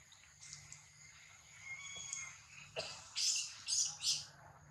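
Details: Attacked baby monkey: soft wavering whine-like tones build into three loud, piercing scream bursts in quick succession at the close, with faint steady hiss behind.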